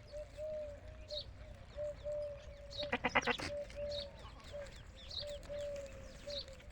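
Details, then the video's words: Desi goat on a goat farm gives one short, tremulous, pulsing bleat midway through, the loudest sound, while birds chirp around it and a steady low hum runs throughout. "Amar Bakra bakri Ki Awaaz | Wonderful Goat Sound Video"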